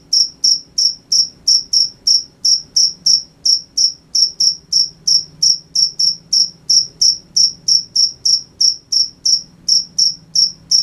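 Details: Crickets at night chirping steadily, short high pulses repeated about three times a second with a faint low hum beneath.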